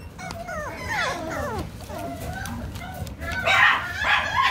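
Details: Toy poodle giving a run of high whimpering whines that slide downward in quick succession, followed by short yips and a brighter, louder burst near the end, over a low background hum.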